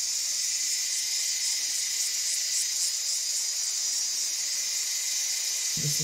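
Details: A chorus of cicadas singing unrelentingly on a hot summer day in the Australian bush in butterfly season: a steady, high, hissing drone that never pauses, with a faint low bump near the end.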